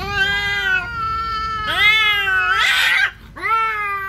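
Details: Siamese and orange cat fighting over territory: steady harmonic wail, a sharper rising howl, then a harsh noisy hissing burst, a brief hush, and another yowl.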